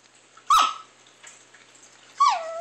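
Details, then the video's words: Chihuahua making weird sounds indoors: two sharp, clear whining yelps nearly two seconds apart, each starting high and dropping quickly in pitch, with quiet in between. "Strange Chihuahua Making Weird Sounds"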